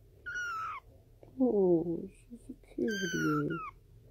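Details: Kittens meowing indoors: two clear, high, slightly falling mews with bright overtones, each under a second, alternating with a lower human voice speaking between and over them.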